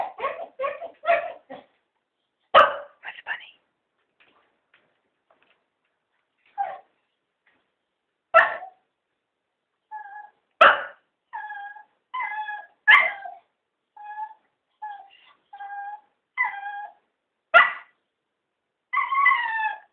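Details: Three Cocker Spaniels begging to be taken for a walk: drawn-out, harmonic whining 'talk' with sliding pitch, broken by short sharp barks and yips, vocal bursts coming in irregular clusters with brief pauses between.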